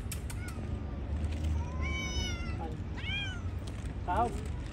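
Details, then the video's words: Hungry cats outside eating fish, with several harmonic meows near 2 and 3 seconds, a short mew at 4 seconds, steady low background rumble and a voice speaking. "Poor cat cute outside hungry cats eat Fish"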